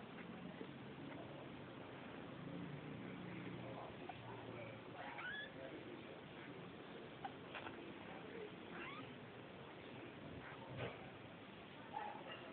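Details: Little Persian kittens, Lalah's fluffy babies, let out faint, brief high mews now and then, partly buried in steady room noise and soft low rumbling.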